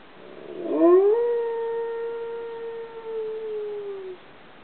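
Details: Dog howling at midday, set off by sirens and a passing train: a long, steady, mournful tone that rises sharply, holds level for about three seconds with clear overtones, then slides gently downward and fades. Steady background hiss throughout.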